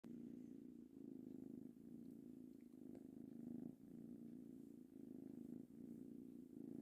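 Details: Three-month-old male kitten purring happily while being petted; a steady low rumbling purr with soft breaths alternating roughly every second, continuous throughout with no other sounds.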